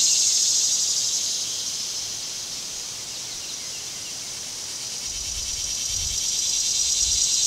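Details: Cicadas in summer: a dense, steady high-pitched buzz that never breaks, softening slightly mid-clip and swelling again, with faint low rumbling toward the end.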